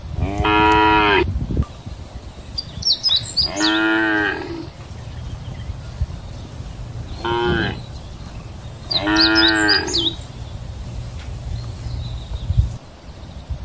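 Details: Grazing cows in a wide field give loud, drawn-out moos, each lasting about a second, with pauses between them.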